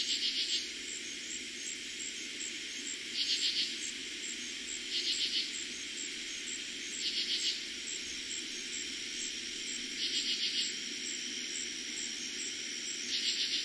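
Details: Night chorus of katydids in eastern Pennsylvania, first heard in summer 2021. Scratchy bursts of a few clipped pulses come at uneven intervals of two to three seconds over a constant shrill cricket hum.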